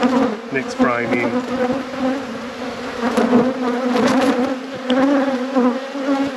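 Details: Honey bees in a beekeeper's apiary at peak production during a hive inspection; dense, steady droning hum with a low fundamental and bright overtones, swelling and easing slightly, with a brief human voice near the first second.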